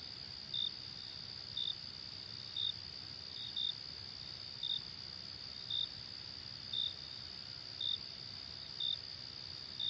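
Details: Crickets trilling continuously at a high pitch while crisp single chirps repeat very regularly, about one each second, ten chirps across the stretch; nothing else clearly heard.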